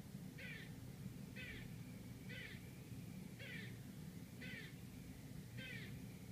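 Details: Barking squirrel in Manhattan, New York City, heard from an apartment: six loud, grating barks about once a second, each trailed by a soft low moan, against a continuous low street hum.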